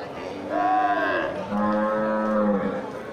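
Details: Large local cattle gathered at the Geurugok animal market, 29 March 2022, just before Ramadan: two drawn-out moos, the first higher and bending downward, the second lower and steady, over a murmur of market noise.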